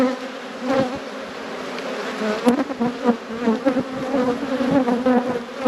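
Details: Thriving honey bee hive in an apiary, inspected by a beekeeper. A continuous, pulsing buzz with a strong steady fundamental and wavering upper tones, dotted with sharp clicks.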